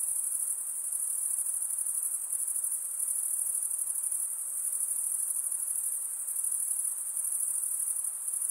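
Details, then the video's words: A nocturnal insect chorus keeps up an unbroken high, thin, pulsating buzz, swelling slightly and easing again every few seconds, over a quiet soft hiss. "night insect sounds"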